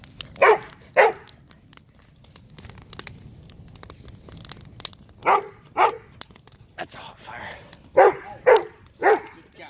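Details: A dog barks at a fire burning in a backyard: short, sharp barks come in pairs, with long quiet gaps between them. Faint crackling and snapping run underneath, and a person speaks briefly.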